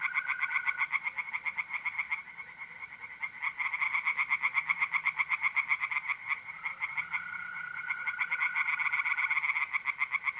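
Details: Night chorus of tree frogs at a pond in north-east Italy, mid-April: fast, rattling pulses run almost without pause for ten seconds, while mole crickets keep a continuous, even trill beneath.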